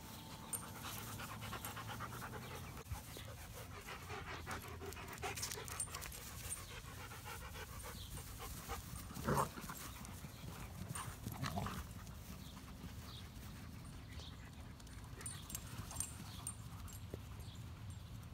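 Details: Long spell of steady dog panting, even breathy strokes with occasional louder knocks and rustles, a faint hum throughout.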